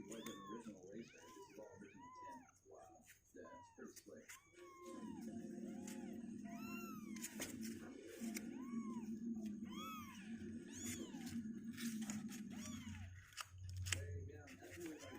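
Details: Two-week-old kittens meowing in quick, irregular bursts of short arched cries while a person talks steadily over them in the middle stretch; the healthy kittens are getting stronger legs and want out of their box.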